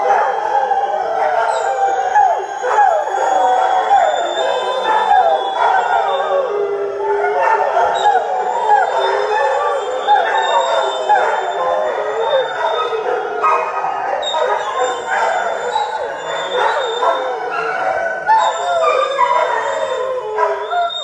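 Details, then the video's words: Felix, a greyhound, sings in a loud, continuous howl that wavers and warbles for over twenty seconds without a break, rich and layered, with a faint high steady tone above it. "Felix Singing"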